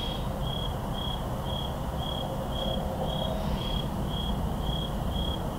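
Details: Night chorus of crickets in woodland, recorded October 10, 2023 with two Shure SM7B microphones, giving a bright, regular chirp repeated several times a second above a constant low hum of far-off highway traffic.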